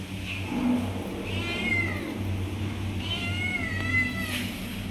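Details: Kitten meowing as if asking for milk: two drawn-out, harmonic meows that slide downward, the second longer, over a steady low hum.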